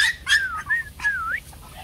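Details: Bac Ha dog, the shaggy native Vietnamese breed raised at a kennel that also breeds Rottweilers: high, whistled whines that slide down and back up, three or four drawn-out cries within two seconds.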